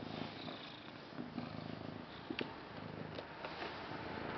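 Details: Contented cat purring close up, a dense buzzing rumble that barely pauses, broken only by small ticks and rustles of movement.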